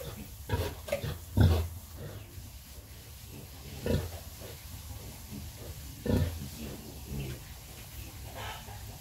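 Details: Nursing sow with piglets produces a loose run of deep, short grunts, some doubled, spaced one to two seconds apart, with faint background rumble.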